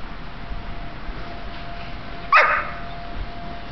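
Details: Hazel, a two-year-old female blue merle Australian Shepherd, playing with a toy in the snow, gives one sharp, loud bark midway through, amid quiet outdoor background and a woman's encouraging voice before and after.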